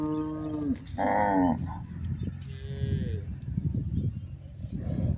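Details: Walking cows on a hillside let out three moos in quick succession: a low drawn call, a louder higher one, then a fainter falling moo, followed by trampling footsteps and rustle.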